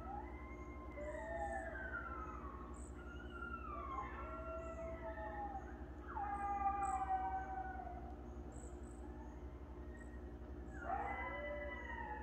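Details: Several coyotes passing through near a farm in the early morning, giving overlapping wavering howls and yips that slide up and down, bursts of group calling breaking out again near the end, over a steady low mechanical hum.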